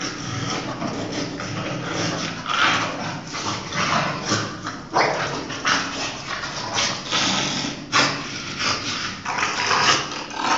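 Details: An English Bulldog and a Chow Chow play-fighting together, giving rough, irregular bursts of growling and yips that rise and fall every few seconds, with broadband scuffling noise throughout.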